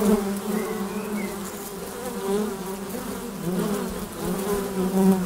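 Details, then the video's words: Honey bee hum at the entrance hole of a hive, heard up close: a deep, steady droning buzz that rises and dips as bees fly past, with a few faint higher tones early on. "Bienensummen am Flugloch - 5 Minuten das Summen der Bienen"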